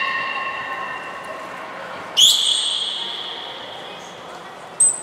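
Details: Beluga whales Gray, Nana and Niko in a training session at Port of Nagoya Public Aquarium, 10 March 2019: a steady harmonic tone for two seconds, cut off by a sharp high trainer's whistle, then a second short whistle blast.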